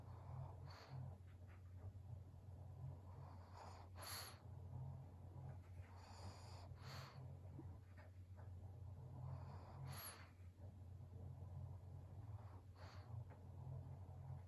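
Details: Twelve-year-old fawn female senior pug named Maria, at home in Japan, filmed in November: repeated soft nasal snorts and breathy puffs every one to three seconds over a steady low indoor hum.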